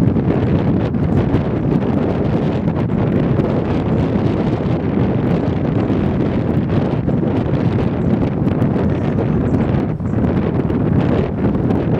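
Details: Steady, heavy wind buffeting the microphone, with a low roar throughout and no animal calls.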